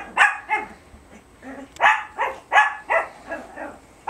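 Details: Biewer Terriers, two dogs, playing tug of war with a hair accessory in March 2008; short harmonic yips or barks come roughly every half second in quick bursts, with a person saying "give me this" in between.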